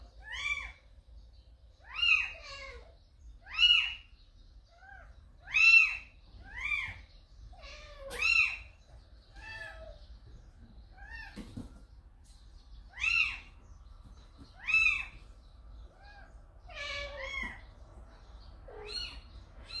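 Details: A calico mother cat named Samsaek has brought a kitten into a home. Insistent, high-pitched meows repeat every one to two seconds, rising and falling in arcs and varying in loudness, with small bumps and rustles in between.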